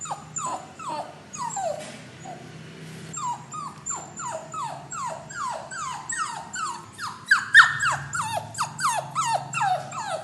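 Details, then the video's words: Young dog shut in a cage before departing to its new owner, whining: quick downward-sliding whimpers, briefly interrupted by a short rustle, then resuming faster and louder, almost four cries per second. "Puppy Crying Sound ~ A Dog Crying Sound Effect"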